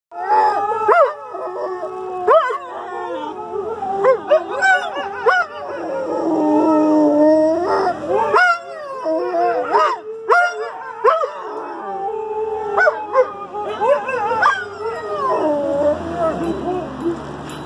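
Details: Male American Staffordshire Terrier howling together with husky companions: several overlapping long, wavering howls that rise and fall, joined by short yips and a few barks, forming a continuous chorus throughout.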